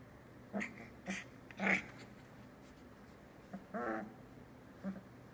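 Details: Tilly's three-week-old Australian Labradoodle puppies, eyes starting to open, making short squeaky grunts and snuffles at irregular intervals, about half a dozen brief sounds, with a low background hum indoors.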